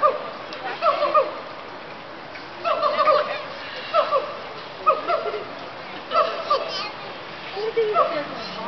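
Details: A roughly 2-year-old female Sun bear (Helarctos malayanus), newly arrived at a zoo, gives short, tonal, wavering calls in bursts about every second, with siamangs calling in the background.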